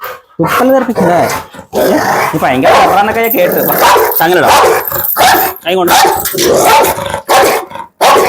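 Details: Pit Bull in a dog challenge, its owner saying it will bite and tear; harsh, irregular barks and growls repeat over about eight seconds, overlapping with steady human talk.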